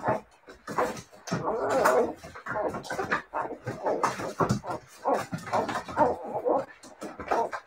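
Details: Siberian Husky puppies whimpering and yipping in a steady run of short, reedy cries, overlapping with human talk close by.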